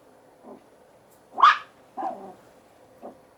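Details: A small male Yorkshire Terrier puppy gives a few sharp, high-pitched barks with softer yips between them.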